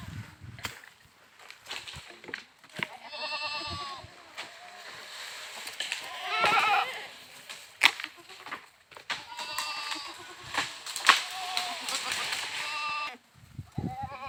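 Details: Bleating goats on an Indian goat farm, several loud quavering calls in overlapping bursts, some harsh and strained, with clattering knocks and a faint voice between them.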